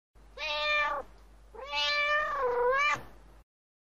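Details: Domestic cat giving two meows: a short steady one, then a longer drawn-out meow that bends down and rises again at the end, clear harmonics, no other sounds.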